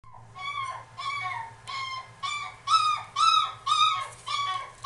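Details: Female Miniature Dachshund at a pet shop in Kuwana: a series of about eight high, tonal whining yelps, each rising then dropping, repeated roughly every half second and growing louder toward the end, with a low steady hum beneath.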